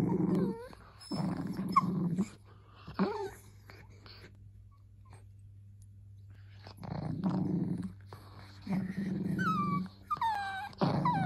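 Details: Dachshund alternating bursts of low, rough growling with thin falling whimpers, a quiet pause of a few seconds in the middle, then more growls and a run of quick high yips.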